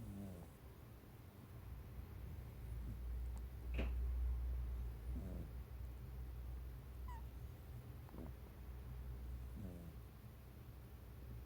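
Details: Mikan, a domestic cat, snoring while asleep pressed close against someone's feet; soft, low, harmonic rasping breaths roughly every one and a half to three seconds over a steady low background hum.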